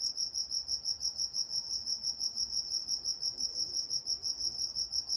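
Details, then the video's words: High, regular cricket chirps at night in Walnut, California, pulsing roughly three times each second with a thin higher band, nothing else clearly audible. "Nature Sounds Night Time Crickets in Walnut, California"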